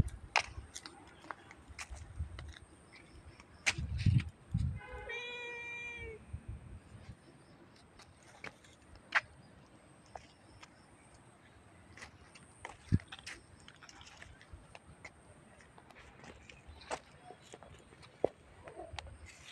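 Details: Domestic cat quarrel: a black cat named Bhola Bala being picked on by the neighbour's cat; one drawn-out, richly harmonic meow falling in pitch midway, amid scattered clicks, knocks and low background rumble.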